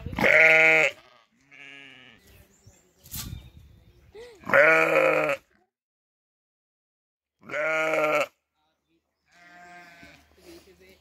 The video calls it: Sonido de la oveja . Ovejas balando